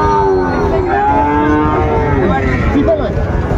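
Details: Big Sahiwal bull calves for sale at the opening of Ambari market, Dinajpur, Bangladesh, 14 March 2025, lowing in long, harmonic-rich moos that glide gently downward, overlapping callers set against a constant buzz of market noise.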